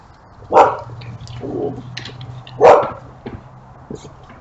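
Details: A dog barks twice, two short harsh barks about two seconds apart, over a low steady hum with a few faint clicks and knocks in between.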